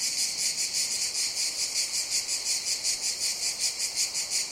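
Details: Cicada chorus of piercing, high-pitched whirring that throbs regularly, around three swells each second, steady in volume throughout.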